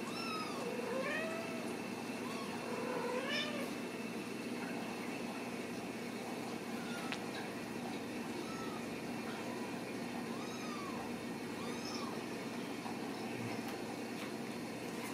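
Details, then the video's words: Ragdoll kittens raised in a home cattery in central Kansas, no cages used, giving thin, high meows with rising and falling arcs, several overlapping and repeated, over a steady background hum. "Steward Ragdoll Kittens"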